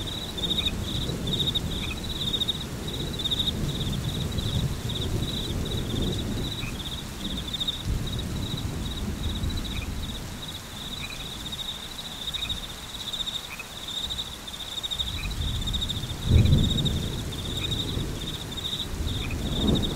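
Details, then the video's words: Steady, high-pitched pulsed chirping of crickets dominates, with a low wash of rain and wind and a brief louder rumble near the end. "Frog Crickets / Rain Thunderstorm"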